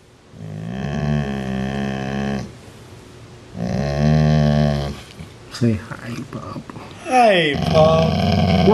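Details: Part-Rottweiler growling at its sibling indoors; two deep, steady rumbling growls of about two seconds each, followed by a person speaking and questioning the dog.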